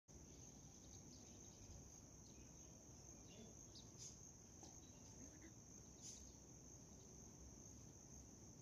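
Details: A white cricket trills steadily on a high, unbroken note over low rumbling background noise.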